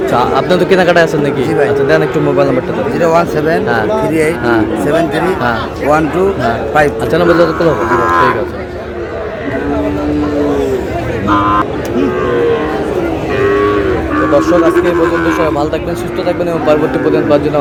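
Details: Cattle market in Chattogram, Bangladesh, where Sahiwal bull calves are sold in June: several long, wavering moos sound through loud, continuous human chatter and shouted bids.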